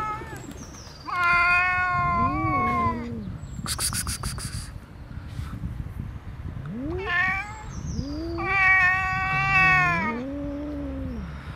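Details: Friendly black cat alongside an unfriendly other cat; loud, long rising-and-falling meows at two, seven and nine seconds mixed with low throaty growled wails, a brief clicking burst near four seconds, birds chirping faintly.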